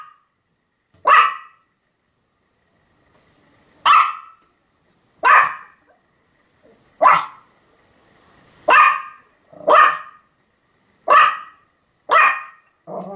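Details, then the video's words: Sam the Pomeranian barking repeatedly on 7 October 2015: eight crisp, isolated yaps spaced one to three seconds apart over near silence, the later ones coming slightly faster. "犬の鳴き声 ポメラニアン サムの連続吠え"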